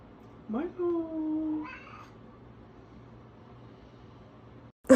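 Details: Domestic cat giving one drawn-out meow that swoops up sharply and then slides slowly downward, followed by a brief, higher second note; quiet indoor setting with a faint steady low hum.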